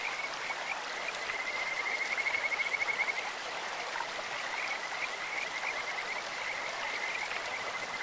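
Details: Kajika frog calling from a clear stream: a fast, bright, bird-like trill early on, then softer intermittent chirps and a thinner trill, over the continuous roar of running water.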